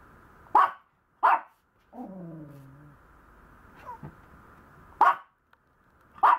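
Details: Maltese puppy giving short, sharp barks, two early and two late, with a drawn-out, falling, whiny growl and a brief squeak in between; little other sound.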